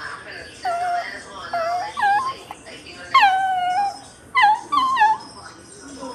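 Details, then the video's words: A dog crying in a run of high, wavering whines, each sliding down then curling back up, coming in about five bursts over six seconds, with music playing and a person talking in the background. "Never seen a dog crying before"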